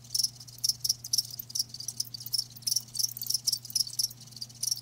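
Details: Crickets kept live, giving piercing high chirps in uneven bursts, sometimes doubled, separated by short pauses, while a quiet steady low hum runs underneath throughout.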